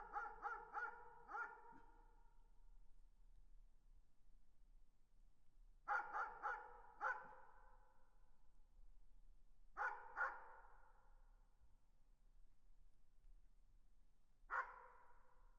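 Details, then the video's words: Dog barking in the distance, in bursts of three or four rapid barks separated by several seconds of quiet, ending with a lone bark; the barks sound muffled and far off with little other sound. "Distant Dog Barking"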